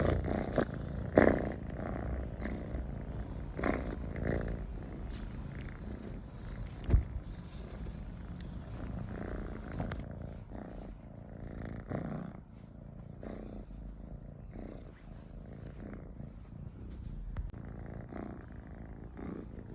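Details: Michi the cat purring while feeling comfortable beside people, a long low rumble with periodic breath pulses that fade gradually softer over twenty seconds, plus a brief sharp click midway.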